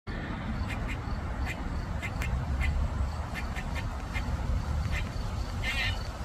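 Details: A squirrel crying and seemingly distressed gives a run of short, nasal, quack-like calls repeated roughly every half second over a steady background hum.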